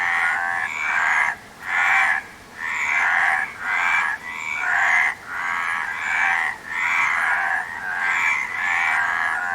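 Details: Frogs give a quick, repeated chain of harsh, pulsing croaks, about nine short bouts with clear gaps between them, keeping a fairly steady rhythm.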